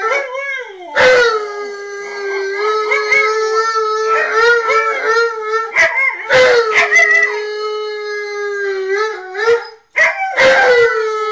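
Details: Home-alone singing by Tonka and Monroe, two dogs caught on security cameras calling to Memphis and Kira: a sustained level howl with yipping inflections and overlapping voices, interrupted by a few sharp noises.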